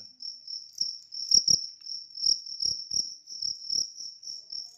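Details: A large cricket chirps in a steady, high, rapidly pulsing trill, with a few dull taps underneath.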